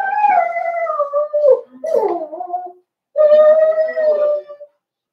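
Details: Cavalier King Charles Spaniel puppies, four weeks old, in an indoor pen: a loud, drawn-out, tonal whine that slides gently downward with rich overtones, breaks briefly into a rougher cry, pauses, then returns as a second long, steady whimpering howl.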